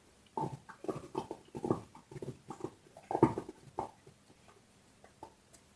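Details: Dog gnawing on a bone indoors, heard as a quick run of crackling, crunchy bites over a few seconds, strongest in the middle, then tapering to faint scattered clicks.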